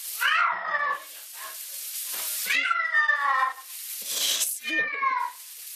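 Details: Male domestic cat screaming while being bathed in the shower: three drawn-out, strained meowing wails that rise then fall, separated by gaps filled with spraying water and a person talking.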